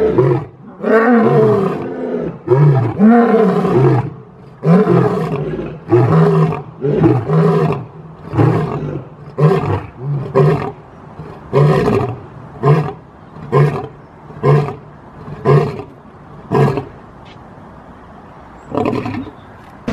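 A lion gives a full roaring bout: deep moaning roars fading into a series of short, rhythmic grunts.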